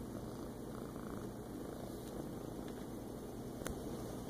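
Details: A feral lap cat relaxing in a person's lap on a kitchen floor on a morning in August 2014, purring in a steady, soft, low continuous rumble under a constant background hiss.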